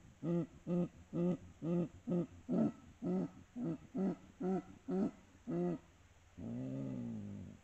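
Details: Jaguar giving a steady series of eleven short, deep, rasping grunts at about two per second, then one longer, lower, drawn-out grunt to close.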